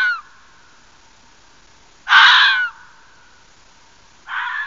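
A fox lets out hoarse, rasping cries, each a brief harsh burst lasting about half a second. The screams come a couple of seconds apart, with a faint steady hum between them.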